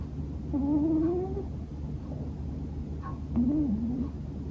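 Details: Bono, a male Scottish Fold cat born in 2020, snores loudly while asleep indoors. Two drawn-out, tonal, slightly rising nasal notes: a long one near the start, then a shorter wavering one after a pause. Low steady room hum underneath.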